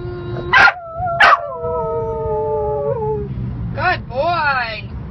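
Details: Pet dog singing along to the happy birthday song, giving a long steady howl that holds pitch for about two seconds before sliding downward, with voices and brief yelps around it.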